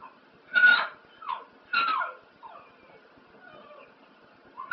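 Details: Spliff, a pet dog, giving short whimpering yips with bright rising-falling tones while howling along to ELO's Telephone Line, four brief bursts about a second apart in a quiet small room.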